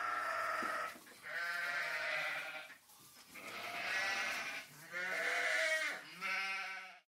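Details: A small group of sheep bleat in long, wavering, nasal calls, several voices overlapping one after another.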